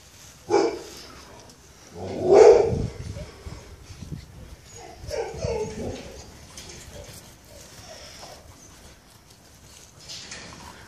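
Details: Akita inu puppy at the Koun matagi inu kennel gives two short, loud yelping barks, then softer low grumbling vocal sounds, with background rustling and faint noise.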